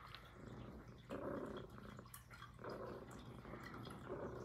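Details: Purring from Puff, a female Highland Lynx cat, recorded close for ASMR; a few slower, longer rumbling phrases rise and fall at uneven intervals, with a steady low background hum.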